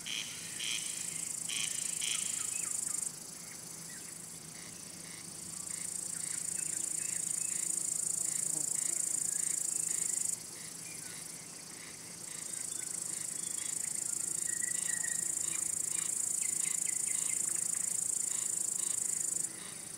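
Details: Male cricket, which signals by rubbing its wing covers to draw or court females and drive off other males. A continuous shrill, high trill starts and stops in long stretches, with a few faint pulsed chirps near the start.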